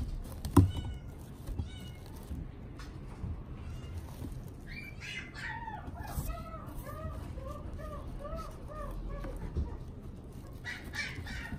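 A Pembroke Welsh Corgi puppy gives a quick run of high, arched whimpers over a low background hum.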